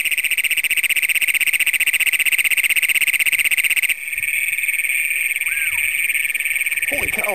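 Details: Night chorus of Great Plains toads in Brown County, Minnesota, June 27, 2010, filmed with a Canon Power Shot SX100: an intensely loud, pulsing, metallic trill that changes character after four seconds, with brief human voices at the end.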